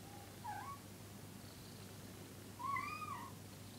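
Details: Cats on the sofa grooming one another, Orangie, Gerbil and Sansli; a brief chirping trill comes first, then after a pause a longer wavering meow, gently rising and dropping, against quiet indoor background hum.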